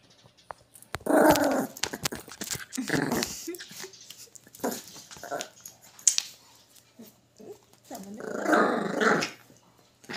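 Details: Miniature pinscher growling in a few short, rough bursts, around the first second, near three seconds and again past eight seconds, separated by quieter stretches with faint clicks and rustles.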